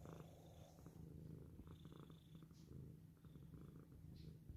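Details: Cat purring softly up close, a quiet continuous low throbbing rumble with faint rustling in the background.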